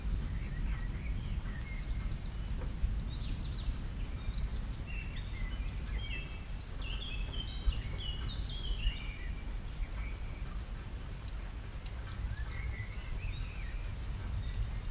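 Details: Several happy guinea pigs munching water convolvulus greens; dense bursts of faint, high stepped whistles in the middle and near the end, with a constant low background rumble.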